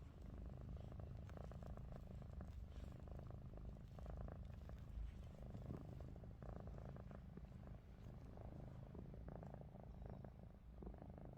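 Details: Ruby, a pet cat, snores with eyes open indoors while Lupin, a Russian Blue, looks on; a low, steady rumbling drone runs throughout, with faint soft rustles over the top.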